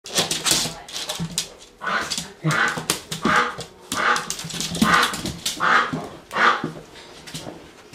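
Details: Coyote in captivity playing with a laser pointer as enrichment, indoors; a run of repeated high whining, yelping cries at roughly one per second, some rising then falling, with a person speaking softly.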